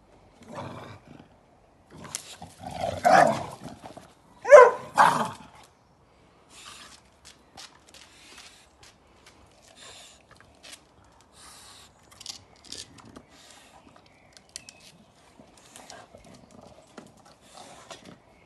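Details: An English Bulldog guarding his stick from a Beagle gives two loud, harsh, rumbling growls out of the quiet, warning the other dog away. Softer scuffles and small noises follow as the tension eases.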